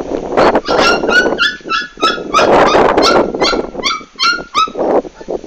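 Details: Komondor dog during a big move, recorded 11 March 2016: a rapid series of high, whining whimpers with tonal, falling overtones, broken by breathy noisy bursts, several per second throughout.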